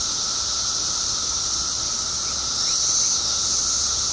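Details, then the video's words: Seventeen-year emergence of periodical cicadas in Illinois, billions strong, producing a loud uninterrupted high hiss over a sustained lower drone, growing a little louder after the midpoint. "Billions of Periodical Cicadas Emerge After 17 Years Underground Cicadas Making Noise Illinois State"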